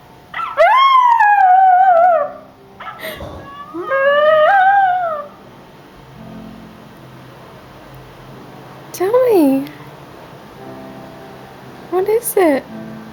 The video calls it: Izzy (miniature schnauzer) howling!!